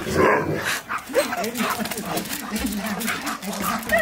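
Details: Siberian Husky reunited with his best friend, reacting to hearing his favourite words: a run of short arched whining 'woo' sounds rising and falling, mixed with a person talking over them.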